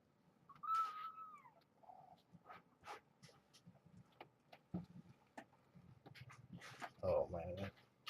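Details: Indoors with a shelter litter and brown tabby mother Janine at Purrfect Pals: a clear high kitten mew falls in pitch near the start, followed by a woman's cooing speech, scuffling paws and a louder short cry at the end.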